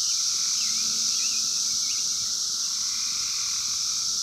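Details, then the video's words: Wild 17-year Brood X periodical cicadas in 2021, phone-recorded: a dense, unbroken high-pitched droning chorus, with a lower whirring band that swells and fades beneath it. "sounds of 17 Year Brood X Cicadas 2021 in the wild"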